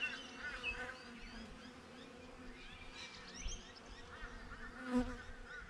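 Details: Honey bees buzzing outside a beehive, recorded with a GoPro: a steady low drone with overlapping buzzes as individual bees fly past, a sharper close pass near the end, and faint higher chirps in the background.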